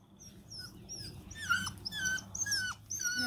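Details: Bluetick Coonhound puppy outdoors after a pee, breaking into howls: short high whining yips and bending wavering notes, several rising then falling sharply, repeated roughly twice a second over a faint low hum.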